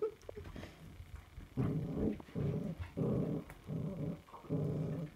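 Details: Puppies growling in a low, rumbling voice, about five throaty bursts that each last under a second and come in quick succession after a quieter, scrappy opening.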